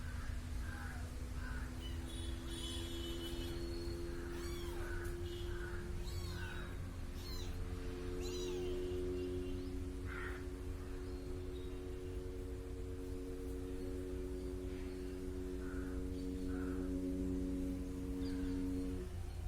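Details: A small kitten keeps following a person and meows: a cluster of short mews at the start, more in the middle, then scattered ones later. Bright chirping birds sound early on, and a steady droning hum with tonal bands persists.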